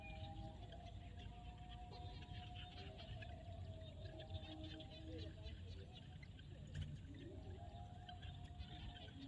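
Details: Field frogs in Cambodia at sunset form a steady chorus of sustained, slightly wavering tonal notes. A heavy low-frequency rumble runs beneath, with scattered faint high ticks.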